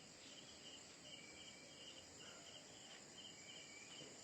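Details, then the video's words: Night-time crickets, heard after everyone has gone to bed: soft, high-pitched chirps in a steady repeating train, nearly buried in constant background hiss, with no other clear sounds. "রাত হয়ে গেছে সবাই শুয়ে পড়েছে শুধু ঝিঝি পোকার আওয়াজ শোনা যাচ্ছে"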